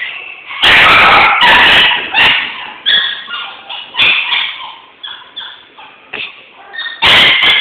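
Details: Male Jack Russell Terrier, recorded 29 October 2011, gives loud, sharp barks: a quick pair near the start and another burst near the end, with quieter, voice-like sounds in between.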